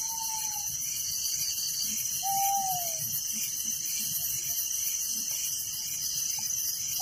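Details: Night crickets in a village chirp as a continuous, piercing high chorus with rapid pulses, while two drawn-out whistled notes, the second bending downward, sound over it.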